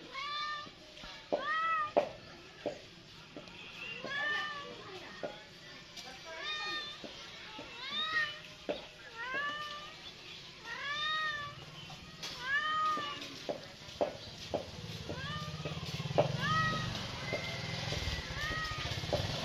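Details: Cat giving a long series of short, bright meows, often arched in pitch and packed one to two per second, growing busier toward the end with a soft low hum underneath.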